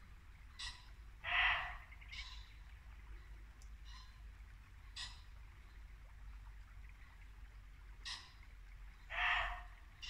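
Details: A muntjac deer gives short, sharp barks, each a single harsh yelp spaced several seconds apart, in Norfolk woodland at dusk in late winter, with a babbling brook, pheasants and birdsong.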